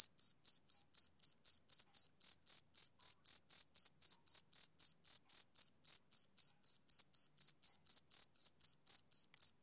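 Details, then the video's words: Male cricket chirping in a steady rhythm, about four short high-pitched pulses each second, each with a fainter higher overtone, repeated evenly for nearly ten seconds with no other sounds. "Cricket Chirping Sound Effect"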